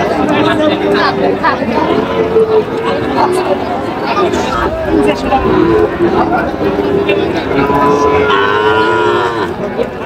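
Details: Young Sahiwal bull calves being sold at a livestock market in Natore, Bangladesh, July 2025; several drawn-out lowing moos, some rising and falling, repeat across ten seconds amid men haggling over prices and crowd noise.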